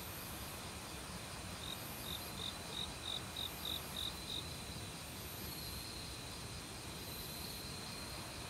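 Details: Autumn cricket calling in a forest, among various other insects. Starting at about 1.7 seconds, a run of eight or so short, high, evenly spaced chirp pulses lasts about three seconds, over a steady rush of valley stream water.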